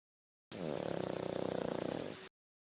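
A Pekingese snores, one long, rough, rattling breath with a fast fluttering buzz.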